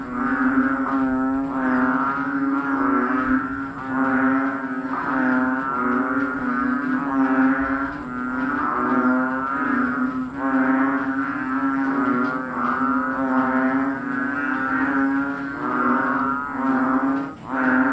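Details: A dense chorus of frogs in the Philippines blends into a steady, low, moaning drone with rhythmic swells.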